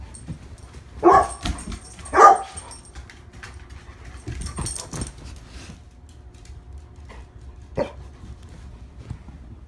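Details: Pet female Labrador Retriever Lola, one year old, gives two loud hoarse barks about a second apart, then softer barks and a faint whimpering note, followed by a single short bark near the end over quiet room hum.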